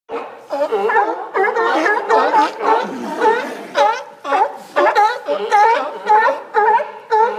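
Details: Sea lions hauled out on the dock along the Historic Bay Front in Newport, Oregon, giving harsh, harmonic barks in quick overlapping bursts, roughly two per second, from several animals at once.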